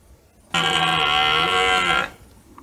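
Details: ['A red deer stag in the rut bellows once in forest near nightfall on a hunt: a single sustained, rough, harmonic roar lasting about a second and a half, then quiet.']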